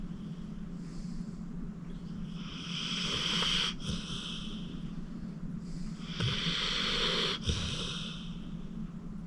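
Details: Acorn, a 14-year-old rescued pit bull and deep sleeper, snoring while relaxing at home: two long, breathy rasping inhalations a few seconds apart over a steady low hum.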